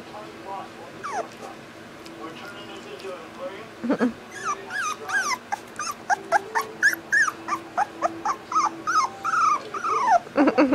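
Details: Boxer puppy giving a long run of high, arching whines and short yelps, slow at first and then rapid and nearly continuous in the second half, with people talking in the background.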